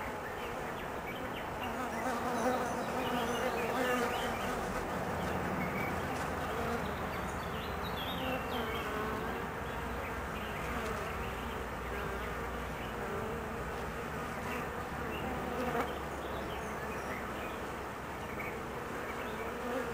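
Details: Honey bee colony agitated in the queen's absence during her mating flight; a broad, restless hum of many wings with a deep steady undertone and brief louder swells near the start and later on.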